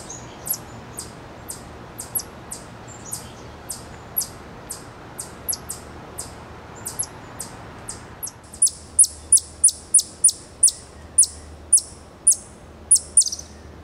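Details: An eastern chipmunk (Tamias striatus) at Cornell University in Ithaca, New York, gives sharp, high chips in a steady series, growing louder partway through.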